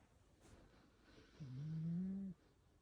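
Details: Pantaro the cat snoring in sleep: one low, steady, droning snore lasting about a second, rising slightly in pitch, then quiet.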